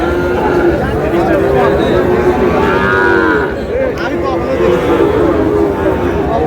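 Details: Sahiwal bull calves offered at a livestock market to a farmer from Bogura: a couple of long lowing moos with wavering pitch around the middle, set against dense market chatter and nearby talk.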